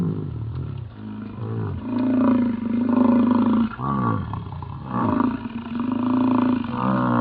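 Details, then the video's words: American bison bellowing during the rut in Yellowstone, deep drawn-out roars that rise and fall in long throbbing waves. "Sounds of the Yellowstone Bison Rut"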